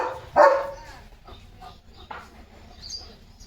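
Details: Pet German Shepherd barking as rain approaches. One sharp, loud bark opens the moment, then fades into quieter muffled sounds and a faint second yelp.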